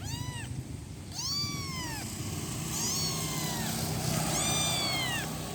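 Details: One-week-old kitten calling for its mother: four drawn-out, arching meows, each rising then falling, spaced about a second apart over a low background rumble.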